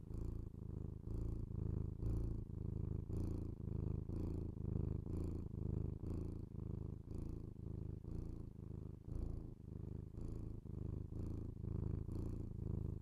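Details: A pet cat purring close to binaural microphones in an ASMR recording; deep continuous rumble pulsing with each breath roughly twice a second, a brief dip near nine seconds, otherwise unbroken.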